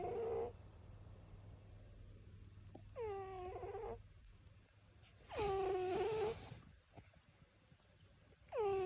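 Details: A male pet cat, described as very loud, snores indoors. Repeated whistling, wheezy snores with a slight downward slide come every two to three seconds, some raspier and noisier than others, with quiet breaths in between.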